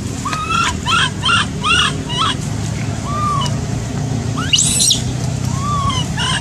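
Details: Baby macaque abandoned by its mother, crying: a run of five short, rising-and-falling tonal coos with bright harmonics, then scattered softer coos and one shrill high squeal, over a steady low rumble of background noise.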